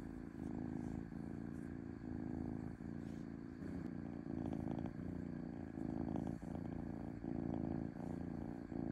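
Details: Domestic cat purring smoothly, a low motor-like rumble with slightly rougher, clattering texture, pulsing in alternating surges under a second apart.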